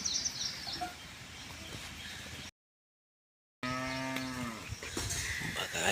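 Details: Khillari cattle, a pair of purebred working bullocks kept at a farm home in Bavdhan, Maharashtra; after a short silent break, a drawn-out harmonic moo that slides down at its end, with a man talking and rural background noise.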